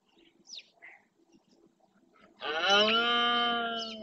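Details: Red deer stag roaring during the rut (berrea) in the Doñana National Park marshland, Spain, claiming territory; after a few short bird chirps, a loud, harmonic-rich bellow starts abruptly and holds steady for over a second and a half.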